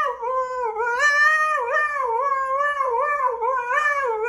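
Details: Husky in a song compilation, howling and yodeling continuously: a wavering tone that rises and falls, with rich harmonics and no breaks.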